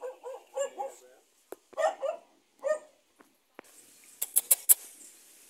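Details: Wild dog in Jamaica barking at boys: a run of short, yelping barks in quick bursts, then sharp clicks and rustling toward the end; no voices over the barks.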